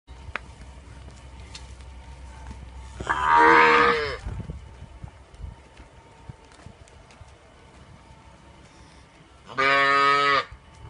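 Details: Punganur cow giving two separate harmonic moos about six seconds apart, each lasting about a second, with a quiet background between them.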